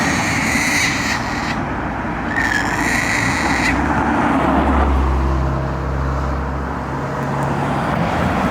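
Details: Japanese macaque calling by a roadside: two drawn-out, slightly falling tonal calls of about a second each, close together early on, over a steady roar of passing road traffic.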